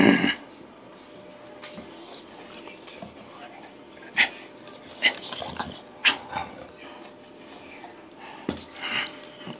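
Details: Indoor play session with Bravo, a Bulldog, dated 8/20/13: a loud opening snort, then scattered clicky, gravelly growls and short huffs spread across the clip, with quiet room noise in between.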